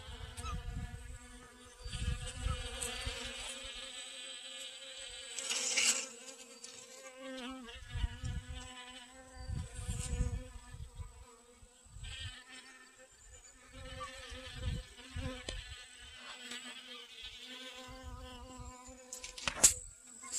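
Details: Garden honey bees foraging for pollen on sunflowers, August 25th 2021: a droning buzz that rises and falls in pitch as insects move close and away, with intermittent low rumbling bursts and rustle.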